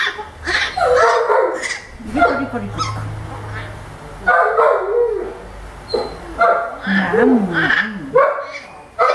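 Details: Milette, an orphaned baby howler monkey at the veterinarian, protests her vet care with wavering, whiny cries and short squeals in uneven bursts, while people talk quietly in a small room.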